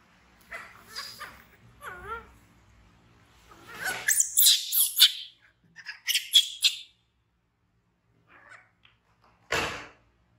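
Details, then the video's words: Frightened baby monkey BEAN, an orphan taken in by villagers from the jungle, screams. Harsh, noisy bursts and a few wavering tonal squeals come in uneven clusters, with quiet gaps between them, inside a small room. "Baby Monkey BEAN Frighten Screaming And Run To Hug Poppy Brown"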